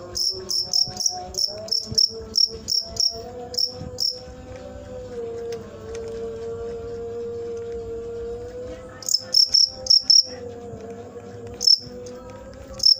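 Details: Cricket chirping in short, sharp, high-pitched bursts, about ten in quick succession over four seconds, then a pause before scattered groups of chirps return, with a steady low humming tone underneath throughout.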